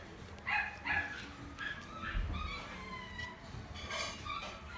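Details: Shiba dog kept at a pet shop in Omihachiman, Japan: about six brief, strained, yelping barks, some with a whimpering tone, scattered across five seconds over low room hum.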